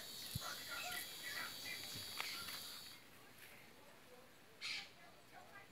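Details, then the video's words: Cicadas on an aroeira (pepper) tree sing a steady, shrill, high buzz that stops abruptly partway through. "Cigarras na aroeira"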